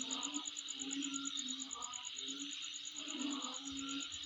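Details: Insect chorus recorded at home, a continuous high-pitched hiss and a rapid metronomic pulsing trill, while a low hum rises and drops in short bursts beneath.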